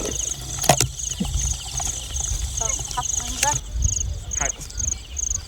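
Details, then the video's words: Night-time field crickets: a thin, high chirping pulse repeating at an even, quick pace throughout, over a low rumbling background with a few sharp clicks and brief handling thumps. "ចង្រិតស្រុកស្រែពេលយប់ l Field crickets at night"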